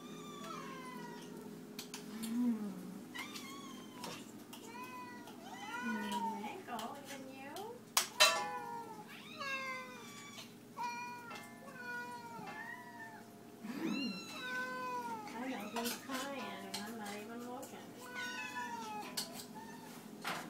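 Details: Many domestic cats crying for food at feeding time, a long run of overlapping bent meows, some longer and wavering, with clattering pots and dishes and a background hum indoors.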